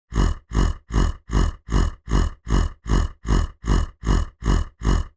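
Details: Bear grunting: twelve deep, rough, identical grunts repeated steadily about every 0.4 seconds, each heavy and low with a breathy buzz, in a quiet setting with no other sounds.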